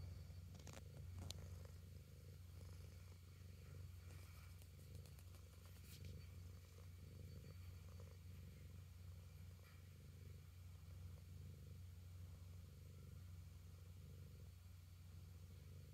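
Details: Cat purring close by, a steady low rumble that runs without a break throughout, with a few faint clicks and rustles near the start.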